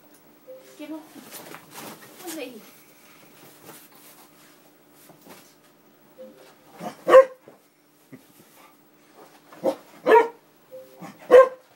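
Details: Indoors, a pet Springer Spaniel goes wild at an Xbox disc tray opened and closed by controller; after owner speech, several loud sharp barks ring out about every second or two, each preceded by a brief whine.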